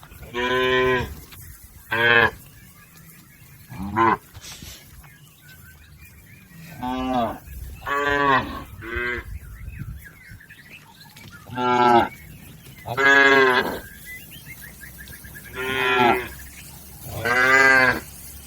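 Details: Herd of domestic cattle crossing a river toward their pen, lowing repeatedly: about ten deep, harmonic moos, some short, some drawn out, come every one to two seconds with brief pauses, over faint chirping in the background.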